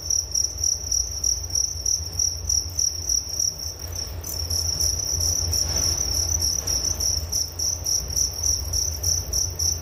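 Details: Cricket chorus for relaxation: rapid high pulsed chirps around three per second, briefly pausing near the four-second mark before resuming, with a low steady rumble underneath.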